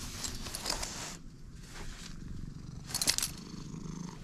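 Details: Stray cat purring right after first meeting a person: a steady low rumbling purr, broken by bursts of loud rustling and handling noise near the start and again about three seconds in.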